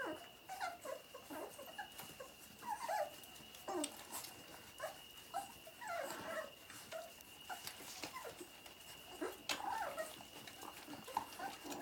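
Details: Labrador Retriever puppies nursing, in Vărădia, Romania: many short, high whimpers and yips scattered through the clip, overlapping, with a steady faint high tone running underneath.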